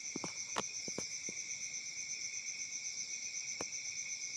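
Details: Crickets chirping on a summer night in Africa: a steady, shrill, high trill in two bands, pulsing about four times a second, with a few sharp clicks early on.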